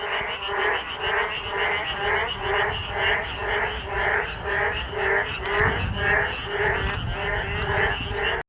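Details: A dense chorus of frogs calling together on a rainy day, with throaty, pulsing croaks at about two pulses every second.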